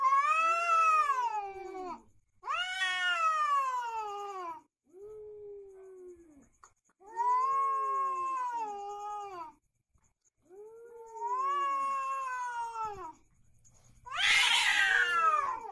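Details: Fighting cat giving a series of long, quavering yowls, each swelling then bending downward, five drawn-out cries with short gaps, closing in a harsh, noisy spitting outburst.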